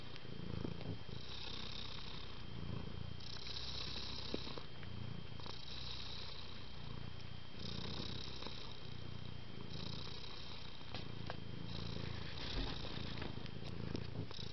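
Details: A pet cat purrs continuously, a deep throaty rumble rising and falling in regular breaths roughly every two seconds, over a quiet indoor background with a thin constant tone.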